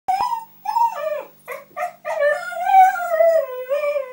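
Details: Husky named Thunder talking to Zoe the cat: a string of drawn-out, wavering woo-woo howls, sliding down then rising again in pitch, broken by short yips, with clear rich overtones and a quiet background.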